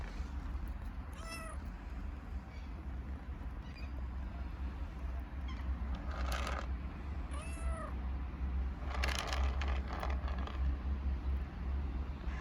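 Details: Hungry street kittens in Istanbul, living homeless and fed daily, give two loud, arching meows about six seconds apart. Clicks, bursts of broadband noise and a constant low urban rumble sound between them.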